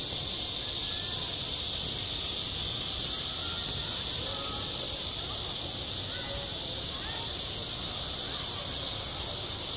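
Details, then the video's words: Summer cicada chorus over a school sports ground, an unbroken shrill buzzing wash held at constant strength, while soft voices drift in faintly below. "한 여름 운동장에서 매미가 울고 있다"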